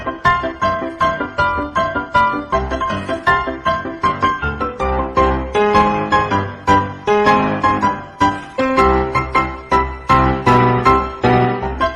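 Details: Bright electric piano music with rhythmic chords and a low bass line plays throughout, with no animal sounds.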